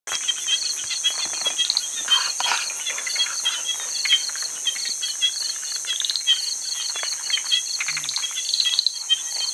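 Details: Martens's puddle frogs calling on Hainan Island, China, a dense chorus of rapid high chirping clicks filling the whole recording, with occasional calls of other frogs mixed in and a steady high insect-like hum.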